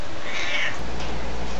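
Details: Fredrika, a female house cat who talks constantly, gives a short high meow while being fussed over and offered a treat at home; a steady low electrical hum continues after the call.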